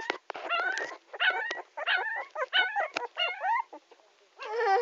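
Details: Puppy crying: a rapid series of high, whining yelps that bend up and down in pitch, about eight cries in five seconds, ending in a longer wavering whine.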